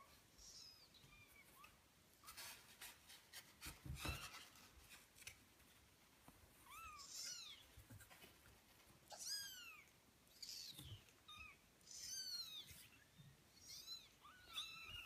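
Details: Eighteen-day-old kittens mewing repeatedly in shrill, high, wavering cries, several overlapping in quick bursts, with bumping and rustling noises between calls.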